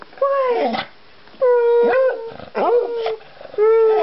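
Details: A Beagle named Toby gives a series of short, mournful howls from separation anxiety, howling at the window when his owners leave to check the mail.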